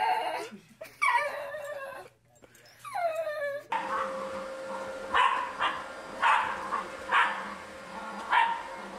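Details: Pet Pembroke corgi Mona Lisa giving a few quick, high whining cries, followed by softer repeated bursts over a noisy background.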